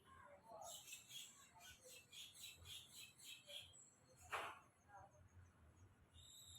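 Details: Squirrel up in a tree, its colour blending with the bark, repeating thin high chirps at a steady quick rhythm for several seconds, then a single louder burst, over low background hum.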